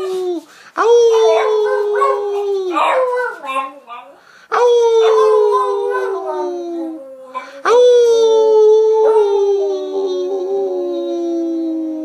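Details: Beagle giving three long howls, each starting abruptly, holding a clear tone and sliding slowly lower before breaking off, separated by short gaps.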